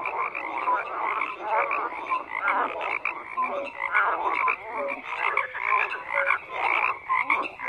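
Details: Chorus of croaking frogs, many voices overlapping in a continuous busy din, with short pulsed croaks repeating roughly twice a second.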